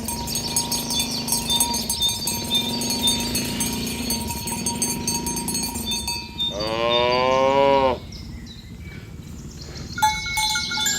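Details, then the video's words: A herd of tame cows is driven along a village road toward the pen in the morning. Cowbells ring constantly, and one loud, drawn-out moo falls slightly in pitch for about a second and a half near the end. "Suara Sapi Moo"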